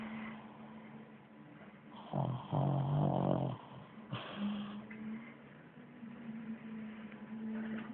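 A pug snores with low, rumbling, rattling breaths and snorts in a quiet room.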